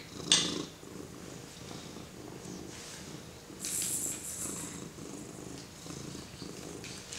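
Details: A domestic cat being petted by a 4-month-old baby purrs in a steady, low, rhythmic rumble, with soft rustling over it.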